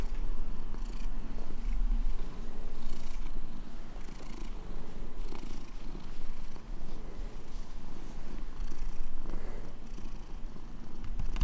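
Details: Pet cat licking a person's hand, purring in a continuous low rumble that pulses gently, with faint soft licking sounds above it.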